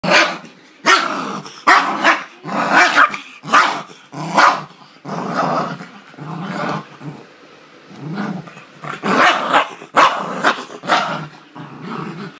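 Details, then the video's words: Small West Highland White Terrier guarding a bone and refusing to let anyone near, giving a continuous run of harsh growls broken by rough barks, roughly one outburst per second, with no other sounds. "Westie going mental for his bone"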